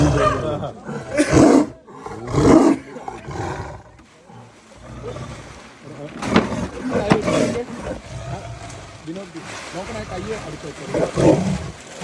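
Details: Tiger caught in a cage in Wayanad, giving loud, rough roars in bursts near 1, 2.5, 6 and 11 seconds. Men talk in Malayalam between the roars, with low background noise.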